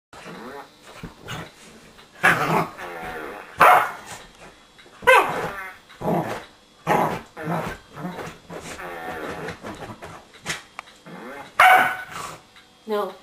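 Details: Queenie, a pet corgi, attacking a remote control whoopie cushion hidden under a sofa cushion indoors; loud, sharp barks burst out at irregular intervals, with quieter growly and snuffling sounds between them and some human voices.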